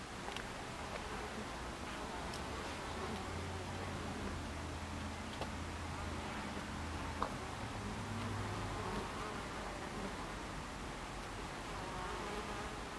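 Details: Honey bees at a beehive entrance, recorded 26 July 2013 at 14:30, making a dense, continuous buzz of many wings with low droning hums that rise and fade as individual bees pass close.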